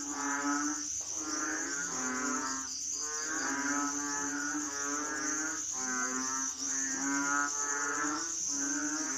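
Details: Overlapping moaning calls of Asian frogs, harmonic, buzzy and repeated in waves every one to two seconds, set against a constant high insect-like whine.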